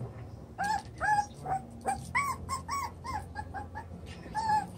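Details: Seven-week-old chocolate brown Toy Poodle puppies romping in their doubled pen give a run of a dozen or so thin, whiny yips in uneven bursts, some sliding downward, over a faint low hum.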